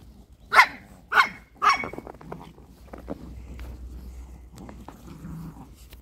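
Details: Crimean kennel Chihuahuas give three sharp, shrill barks spaced about half a second apart, then softer scattered noises and faint yips fade out.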